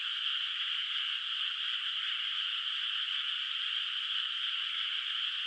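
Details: A distant chorus of frogs in a moonlit countryside rice paddy at night, water not yet planted; a seamless high-pitched trilling drone, steady in loudness, with no other noises present.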